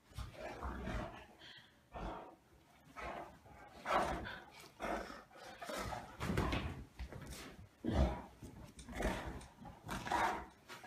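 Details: Two Great Danes play-fighting on a bed indoors, dueling each other: rough, low growls and snarling grunts in irregular bursts, rising and falling across the clip, with short pauses between scuffles.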